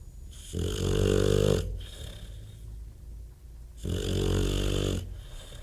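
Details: Loud snoring from a sleeping bulldog, two long low grating snores with a buzzy throaty rattle, separated by a quieter hissing breath of about two seconds.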